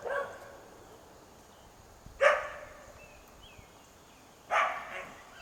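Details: In Quitman, Mississippi, on 13 April 2016, a domestic dog in its own yard gives loud, harsh alarm barks a couple of seconds apart at a feral cat that would not run away. The owner suspects rabies, and the barking sets off other neighbourhood dogs.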